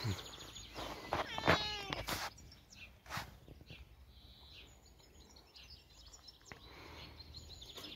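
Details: Teddy, a gentle outdoor cat, gives a short harmonic meow with a quick rising-and-falling tone early on, followed by a softer murmur, while birds chirp and a steady high hiss of outdoor ambience runs throughout.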